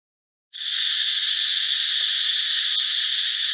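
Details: Forest cicada, a male, calling loud in the morning or at dusk: after a brief silence the shrill, hissing buzz switches on abruptly at full strength and then holds an even, continuous drone.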